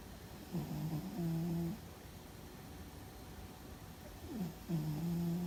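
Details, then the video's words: Sleeping cat Fuzzy gives a loud snore: two low, droning breaths about four seconds apart, the first stepping up in pitch midway, separated by near silence. "Fuzzy and His Loud Snore"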